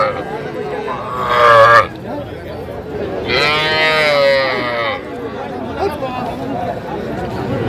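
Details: Very young bull and heifer calves, tagged as Sahiwal, at a market where a Gazipur farmer is buying them on 7 January 2025: two drawn-out, rising moos, the second longer, over steady crowd chatter and men talking.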